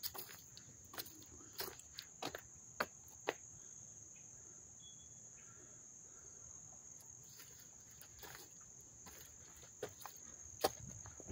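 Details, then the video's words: Late-August crickets at Dobbs Ferry, New York, 2024, heard close by: a constant shrill ringing trill with no breaks, marked by intermittent knocks and light tapping noises. "sounds of the crickets chirping"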